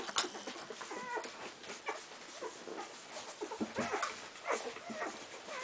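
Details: : Cardigan Welsh Corgi puppies from one litter, fifteen days old, crowding together to nurse; thin squeaky whines and yelps sliding up and down in pitch, several overlapping, with soft shuffling and suckling noises between them.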